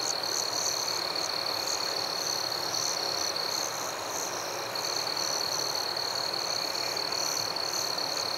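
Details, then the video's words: Crickets in a forest at night: a steady, high, unbroken trill runs throughout, with brief higher chirps repeating irregularly above it, all over a constant soft hiss. "Crickets at Night"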